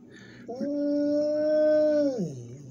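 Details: Dog howling in reply as a person talks to it; a single steady, drawn-out tonal howl that rises at the start, holds level, then falls off, with faint music behind.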